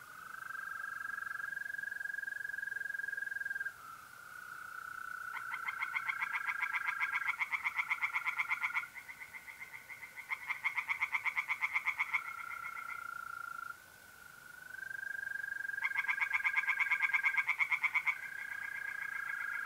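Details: Tree frogs singing by a pond on a mid-April night in North-East Italy: three bursts of rapid, harsh pulsed croaking, each lasting a few seconds, over the steady continuous trill of mole crickets.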